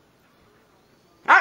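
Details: A Siberian husky talks back to its owner after a near-silent pause with a single sudden, loud, arched vocal, rich in harmonics, that climbs and then drops in pitch.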